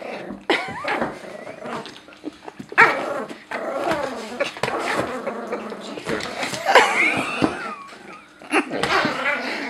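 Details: Pet Pomeranian guarding the couch from a Great Dane that came too close, indoors; rough growls and short harsh barks in scattered bursts, with a person calling afterward.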